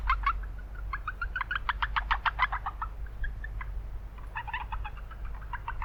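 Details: Chorus of Japanese brown frogs in a wetland in town, rapid trains of short clicking pulses rising and falling in bursts, multiple frogs overlapping over constant low-pitched urban rumble.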